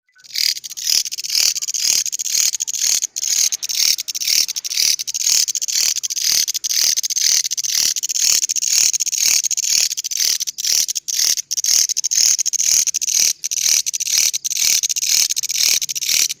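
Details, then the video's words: Grasshopper with an unusual voice giving a loud, high, hissing buzz broken into short, fairly regular pulses, about two every second, continuing steadily throughout with no other sounds. "Belalang Bersuara Aneh"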